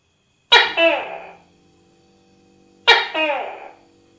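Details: Two loud two-part calls of a tokay gecko, about 2.4 seconds apart, each a sharp explosive first note sliding into a lower, drawn-out second syllable that fades quickly; a faint low hum lingers between calls.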